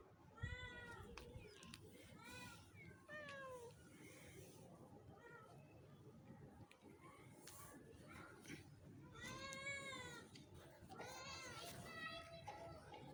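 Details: Domestic cats in Pakistan meowing: a run of drawn-out, harmonic meows that rise then fall, bunched in the first four seconds and again near the end, over a steady low background rumble.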